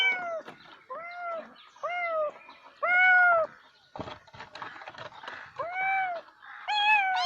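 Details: Cat meows: several short arched meows, fairly soft, with scattered clicks and background noise between them and a louder meow near the end.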